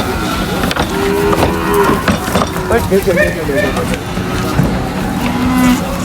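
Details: Cows being unloaded from a truck at a market, lowing in long harmonic moos, several overlapping calls of varied pitch, with a busy, noisy market background and clattering.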